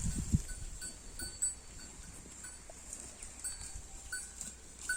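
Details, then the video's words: Holstein Friesian cow grazing on grass, giving quick, muffled low munching thuds several times a second, with one louder crunch near the start, against constant high-pitched hiss and brief ringing tones. "HF cow eating grass"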